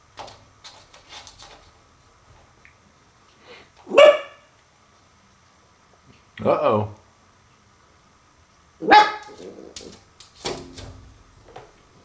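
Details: Puppy named Max indoors in a small room, discovering a mirror for the first time: three short, sharp, harmonic barks spaced a few seconds apart, with a quieter yap near the end and human speech between them.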